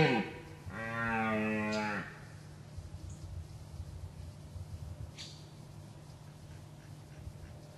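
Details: In Gemenc, Hungary, a rutting red deer stag with excellent symmetrical antlers, stalked from a ditch, gives one loud harmonic roar over a second long; afterwards only faint rustling and distant bird chirps.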